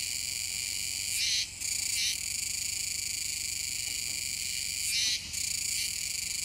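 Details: Chorus of Kuroiwa's cicadas recorded on 7 September 2022 near the Kōme River mouth in Nishinoomote, Tanegashima, Japan. A continuous shrill, banded buzz swells into brief harsh bursts, with two such surges roughly four seconds apart.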